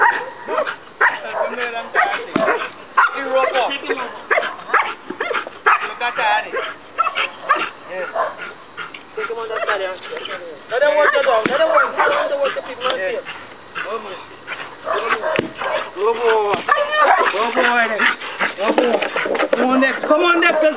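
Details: During night leg-bite training in Trinidad, the one-year-old Belgian Malinois Dex barks almost continuously in quick rough bursts, layered with people talking and cheering, louder in the second half.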